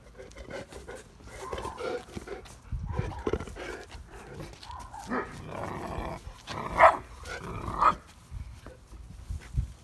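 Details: Guarding eight-week-old male Neapolitan Mastiff puppy in a backyard at night, 26 July 2019, mistaking his mother for a stranger; low grumbling and huffing build into scattered short rough barks, the loudest near the end; phone recording with some handling noise.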